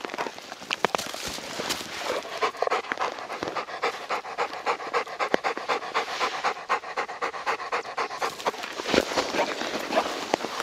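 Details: Deokbae, a Labrador Retriever hiking through a sudden late-March snowstorm in Gangwon Province, pants steadily, about four rapid breathy huffs each second, sustained throughout.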